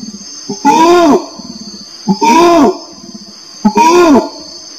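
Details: Orangutan giving three loud, deep, arching harmonic calls about a second long each, spaced roughly 1.5 seconds apart, over a steady high insect-like drone.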